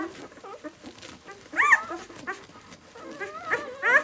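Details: White German Shepherd puppies, six days old, B litter of the "of White Night" kennel. Soft chorus of overlapping whimpers and murmurs, a sharp rising squeal midway, then wavering whines building to a high cry at the close.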